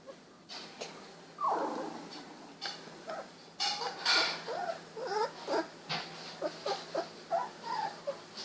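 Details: Sixteen-day-old Golden Retriever puppies, eyes recently opened, wiggling and walking about: a busy run of short, high squeaks and whimpers, some rising and falling, tumbling over one another in quick succession, with soft rustling and a few clicks between them.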